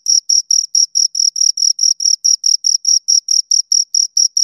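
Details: Pair of crickets heard close to the ear, making bright, high-pitched chirps in a steady train of roughly four to five per second, each a short raspy burst with clean silent gaps between. Nothing else audible.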